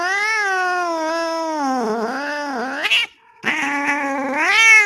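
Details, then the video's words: Bengal-like male street cat yowling for a female in heat; drawn-out nasal caterwaul with rich harmonics, wavering and sagging in pitch, then a brief gap and another rising, strained wail ending high. "Male cat calling female| Male cat in heat sounds|cat in heat sound|Male cat mating call sound effect"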